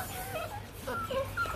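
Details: Rottweiler puppies at a breeding kennel in Hanoi, Vietnam, giving short high whimpering squeaks that bend up and down in brief bursts, over a low room hum and nearby human speech.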